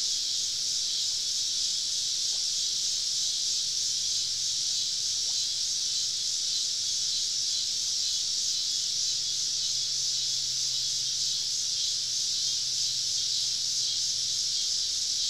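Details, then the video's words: Summer evening cicada chorus recorded while camping deep in the woods, many insects surrounding the site; a steady, hissing high-pitched drone continues without pause, with a faint low hum underneath. "Southern Evening Summer Cicada Symphony"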